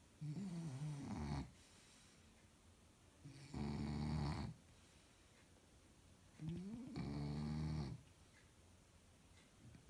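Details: Shar Pei asleep and snoring in a small room: slow, regular cycles of loud, gravelly low rasps, each around a second or more, with breathy hiss on top and quiet pauses of roughly two seconds between breaths.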